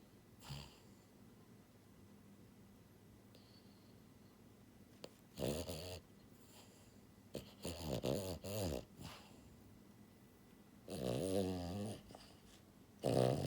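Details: Buhiko, a pied female French Bulldog born January 2022, sleeping and snoring loudly: harsh, rattling snores in bursts near 5, 8, 11 and 13 seconds, separated by quiet breathing, indoors in a small room.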